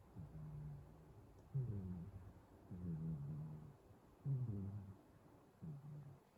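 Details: A cat asleep indoors, snoring with low, throaty, vibrating breaths. A harsher buzzy inhale is followed by a smoother hum, repeating irregularly about every second or two, with nothing else audible.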